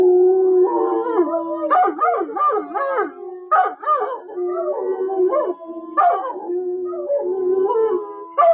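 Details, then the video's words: Group of dogs howling, sustained overlapping tones with quavering, looping cries and wobbling pitch bends, a few brief yips breaking in between the drawn-out wails. "GUARANTEED TO MAKE YOUR DOG HOWL Sound Effect l dog barking l dog sound l dog howling l dog sounds"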